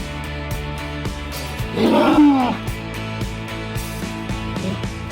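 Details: Rescued stallions greet each other with a loud, brief squealing call over steady background music; such loud vocal greetings between stallions are normal communication, not aggression.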